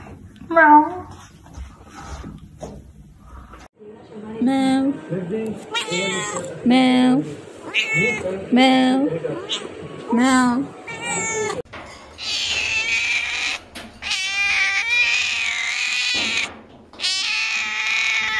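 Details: Pet cat or kitten meowing indoors: a short meow early on, then several high, wavering mews near the end, with a person talking loudly over much of the middle.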